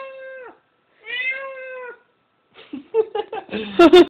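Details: Domestic cat reacting to a recorded cat's calls: two clear, sustained meows, the second longer and slightly rising, then a quick run of short, choppy sounds and loud noisy bursts at the end.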